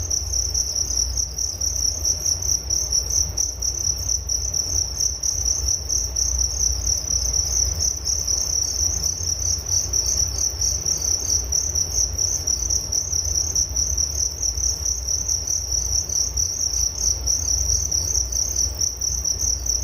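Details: Continuous cricket chirping, shrill and high, with fast even pulses holding throughout, set against a soft low-frequency background hum.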